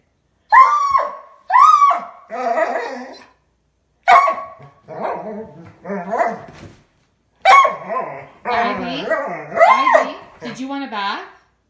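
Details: Ivy, a pet dog that howls every night at 9:30, in a small room: short arching yodel-like howls in bursts of one to two seconds, rising then falling, repeated in three groups, with a person's voice between and over them.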